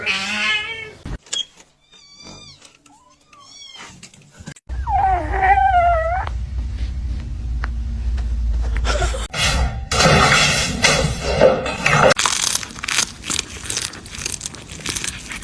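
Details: Domestic cat meowing indoors: a clear arched meow, then a run of short, quick, high rising-falling mews, a wavering meow mixed with people talking, then loud rustling noise and voices.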